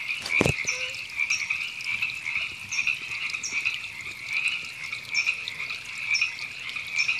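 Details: Wild river frogs calling at Temescal Canyon Park, Los Angeles, California, in April 2017. A steady, buzzy, trilling chorus with rhythmic pulses rising and falling, plus one sharp click near the start.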